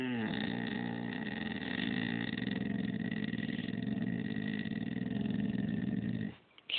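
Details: Lilly, a pet dog, talks in a long, low, rumbling grumble. It sustains for about six seconds with a throaty, pulsing texture and a faint higher overtone, then cuts off abruptly indoors.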